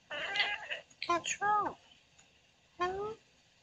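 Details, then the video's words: Female Oriental Shorthair cat talking in her sleep, giving a quick run of soft chirping meows with bending tones, several close together, then a pause and one more short rising-falling mew, in a quiet room. "Cute Cat Talking in Her Sleep"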